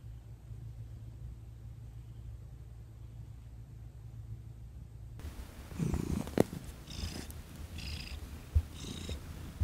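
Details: Thomas the cat purring while receiving a massage, December 2021, indoors at night; soft low purr for the first half, then louder handling and rubbing noises layered over the continuing rumble.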